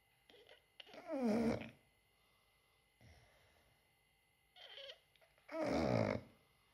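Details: English Bulldog. Sleeping English bulldogs snore in deep, rattling, throaty bursts that waver in pitch. Each loud snore lasts under a second, follows a softer snuffle, and recurs about every four to five seconds in a quiet room.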